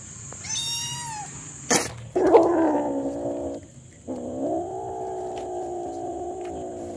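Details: Hungry domestic kitten meowing nonstop: a short high harmonic meow, a sharp click, then two long drawn-out meows that hold steady and dip slightly. A faint constant high hiss runs throughout.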